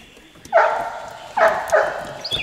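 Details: Golden Retriever puppies, four and a half weeks old, romping on a slippery deck; three short, high yipping barks at about half-second to one-second intervals, with a faint chirp at the end.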